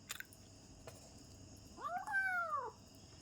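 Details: Home kitten during a meal gives one arched, high-pitched meow lasting about a second, rising then falling, after a few faint clicks in a quiet indoor room.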